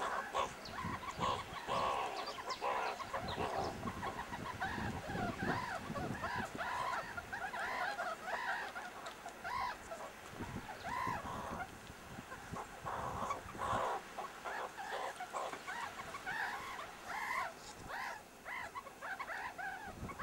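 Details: Meerkats playing rough-and-tumble at the Kalahari Wildlife Sanctuary chatter in a busy stream of short, squeaky chirps and clucks from several animals at once.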